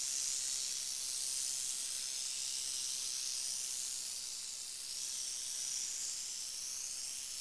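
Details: Northern Pacific rattlesnake (Crotalus oreganus) giving a steady, airy hiss that runs unbroken for about seven seconds, bright and high with slight swells in loudness and no other sounds behind it.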